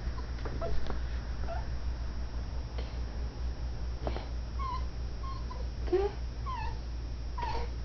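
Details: , Female dachshund puppy refusing her own bed and demanding cuddles, giving a run of short high whimpers, several in the second half, some clicks and rustles beneath a constant low droning hum.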